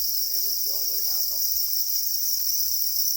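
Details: Angry black crickets guarding eggs produce an even, continuous high-pitched shrill, steady in loudness from start to finish. A brief murmur of human speech is heard near the beginning.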